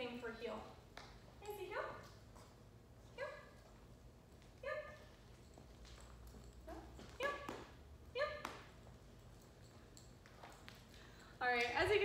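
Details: Macy, a seven-month-old Rottweiler puppy in training in Northern Virginia, gives short harmonic yelps and whiny barks roughly every one to two seconds, each with a sharp rising onset, amid quiet indoor room tone and a louder burst at the end.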